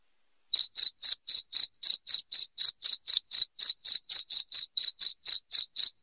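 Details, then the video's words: After half a second of quiet, a loud cricket starts a steady train of sharp, high chirps, close to four each second, used as a sound to chase rats away from the home. "SUARA JANGKRIK NYARING PENGUSIR TIKUS"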